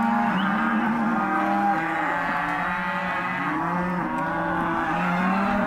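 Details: Hereford and black-faced crossbred calves penned for auction, calling in chorus: several overlapping moos, some held flat and some curving up and down, sounding together without a break.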